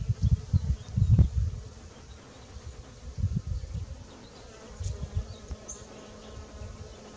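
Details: Honey bees (Apis mellifera) busy pollinating a backyard garden one morning: low humming buzzes come and go in bursts as bees fly near, louder at the start and again around three and five seconds.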